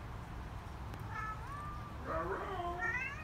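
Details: Chatty female Siamese cat indoors, known for sometimes saying "hello"; a soft, drawn-out rising meow followed by two quieter wavering meows, fairly faint against a constant low hum.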